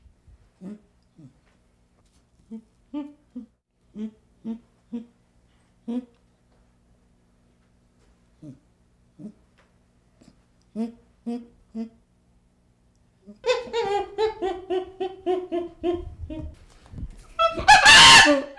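A baby chimpanzee gives soft, low hoo-whimpers, then louder wavering cries ending in a harsh scream.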